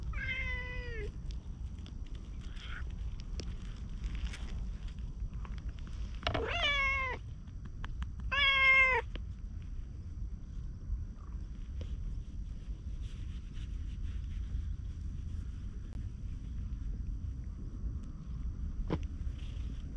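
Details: Orange tabby street cat, briefly petted and then followed by the person leaving, in a community-cat setting filmed on a GoPro; four harmonic meows, the first short and falling, then a cluster of three around seconds six to nine, over low outdoor rumble.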